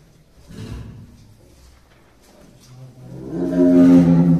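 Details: Tiger at Tobe Zoo in Tobe, Ehime Prefecture, Japan, one of the pair Dai and Ouga, filmed in early December 2023 growling and pacing in the cage: a short low rumble, then a louder, deep, harmonic growl swelling toward the end, with faint indoor noise.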